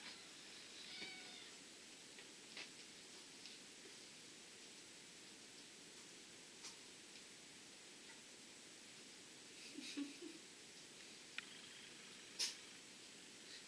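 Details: Abyssinian and Somali cats with kittens born 28 May and 18 June 2014, filmed indoors during play, suckling and naps; a few faint, high, wavering mews near the start, then scattered soft clicks and rustles against quiet room hiss.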